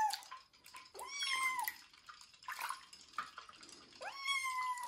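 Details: During his first bath before rehoming, Kitten Joe, a young cat, meows repeatedly: several rising, sustained cries with rich harmonics over sloshing water and tap hiss.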